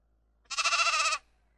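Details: A single sheep bleat lasting about 0.7 seconds, nasal and bright with rich harmonics, quavering with a quick regular tremolo. Silence surrounds it otherwise.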